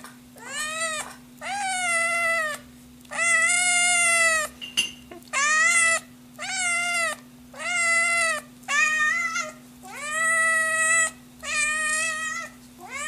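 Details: Scottish Fold kitten, hungry, meowing insistently: about eight drawn-out, high meows in a row, each rising briefly then holding, with short gaps between; faint background hum throughout.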